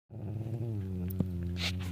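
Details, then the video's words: Pet dog snoring while asleep indoors: a steady, low droning rasp with layered harmonic buzz, one continuous breath held through the clip, a brief click partway in. "My dog snoring"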